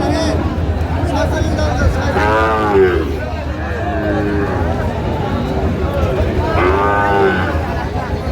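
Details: Sahiwal bull calves at a cattle market, a woman farmer from Jessore buying: two loud, rich moos with rising-then-falling harmonics, spaced about four seconds apart, over background chatter and haggling.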